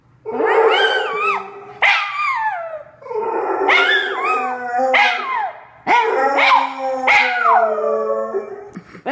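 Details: Two pet dogs, a Jack Russell Terrier and a Pitbull mix, howling together indoors; taught not to bark excessively, they howl instead. Overlapping harmonic howls rise and waver, then slide downward, in four long bouts separated by brief pauses, with yelping onsets.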